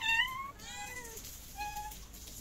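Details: Hungry stray cats in Morocco, including pregnant females, meowing on the street: a loud rising-then-falling harmonic meow, a second wavering descending meow, then a short flat high mew, over steady background noise.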